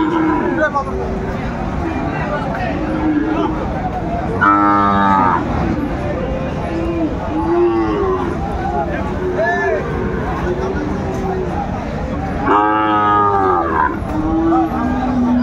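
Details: Market crowd at Aftabganj, 4 May 2024, where a pair of Sahiwal cattle is being priced; two loud, rich bellowing moos stand out among softer lows, with constant bargaining voices throughout.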